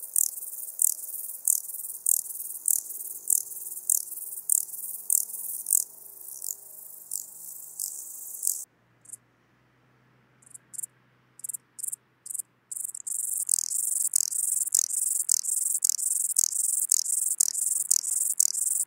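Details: Ladder grasshopper in Muhrtal, Austria, 9 October 2020: a long run of evenly repeated high scraping pulses about every half second, a brief pause with scattered clicks, then a denser, louder run of rasping pulses.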